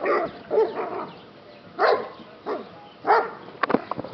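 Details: Yellow Lab rescue dog play fighting, giving harsh, throaty barks and yips in uneven bursts roughly every second, some tailing into whines, with sharp clicks or knocks near the end.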